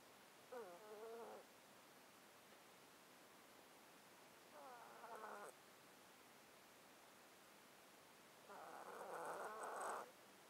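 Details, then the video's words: Sleeping domestic cat in a box, recorded with a close mic, its long-standing underlying disease causing snotty breathing: three raspy, whistly breaths, each about a second long, spaced roughly four seconds apart over a low steady hiss. "Cat Breathing White Noise"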